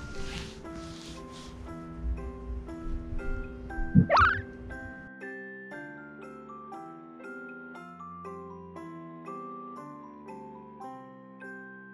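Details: Gentle chiming mallet music plays throughout, with a quick rising swoosh effect near the start; no animal voice is heard.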